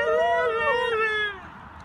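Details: Siberian Husky giving a talking-style howl: a drawn-out, rich, wavering tone of about one and a half seconds, swooping slightly in pitch before fading away.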